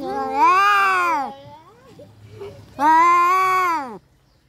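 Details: Fighting domestic cats give two loud, drawn-out moaning yowls, each over a second long with an arching pitch, with a quieter low murmur between them.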